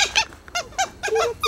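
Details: Captive dholes (red wolves) 'talking' at Novosibirsk Zoo on 4 September 2017: six quick, high, squeaky chirps, each sliding downward, spaced roughly a fifth to a third of a second apart, fairly loud and close.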